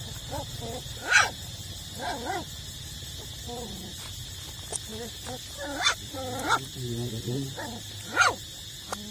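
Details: Eight-week-old puppies still nursing from their mother give high whimpering whines in short harmonic bursts, broken by a few sharp yelps near the first, sixth and eighth seconds, over a steady low hum.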